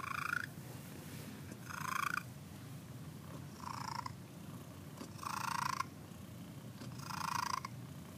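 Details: A contented cat named Cricket purrs on a Sunday morning: a continuous deep vibrating drone, with rhythmic louder wheezy surges repeating roughly every two seconds.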